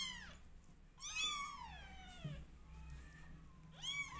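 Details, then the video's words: Twenty-day-old domestic kittens meowing indoors: a long, loud, bending meow with strong harmonics falls in pitch over half a second, framed by shorter arched cries at start and end over a faint low hum. "Meow Cat Family Is 20 Days Old Now Cutest And Loudest Cat Family"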